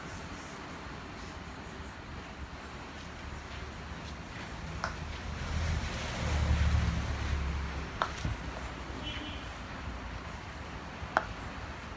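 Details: Broadband wind-like rushing noise with a few faint clicks and knocks fills the recording, and no animal voice is heard.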